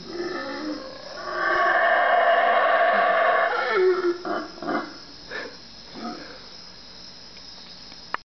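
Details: Howler monkeys, four animals three trees away, calling at 3am in the Guatemalan jungle: a loud, sustained, breathy roar lasting several seconds, then breaking into shorter rasping grunts and hoots that fade out.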